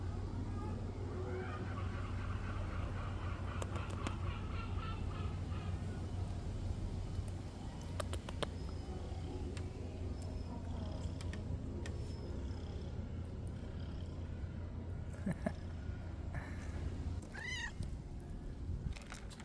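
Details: A friendly male stray cat on a cat island near Istanbul purrs with a low, steady rumble as soon as he is touched, rubbing against the person, under rustling and scattered clicks.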